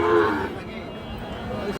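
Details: Sahiwal calves at the Ambari cattle market, Parbatipur upazila, Dinajpur, where the market gathers on Fridays and Mondays. A short moo opens the recording, then gives way to steady background chatter and market noise.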